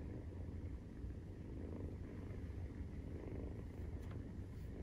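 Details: Maine Coon kitten, 43 days old, purring while it suckles: a dense, steady low vibration that swells slightly and fades, plus a faint brief higher tone near the end.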